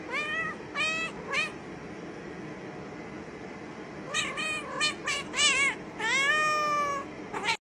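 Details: Pet cat in a funny compilation mewing repeatedly: three quick rising-falling meows, a pause with steady background hiss, then a rapid cluster of short wavering meows and a longer drawn-out one near the end.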